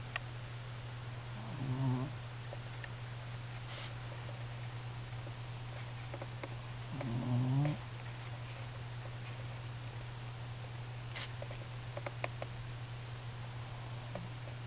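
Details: A sleeping Standard Schnauzer dog snoring indoors. It makes two low, rattling snores several seconds apart over a steady electrical hum, with faint small clicks in between.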